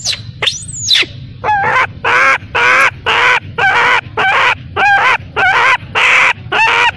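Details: Baby macaque crying after being abandoned by its mother: one high sliding squeal, then steady, evenly spaced harmonic wails, nearly two per second, each with a slight wobble in pitch.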